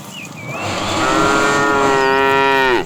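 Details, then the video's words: A fat cow in a tame herd, driven in the afternoon, calls to the female with one long, loud, steady harmonic moo of about two seconds that drops off abruptly; a bird chirps faintly behind. "The funny sound of a fat cow calling the female"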